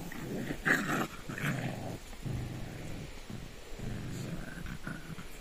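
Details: Shih Tzu dogs during evening playtime, producing a continuous rough, low growl with short snorting breaks, ending in quieter rumbling grumbles.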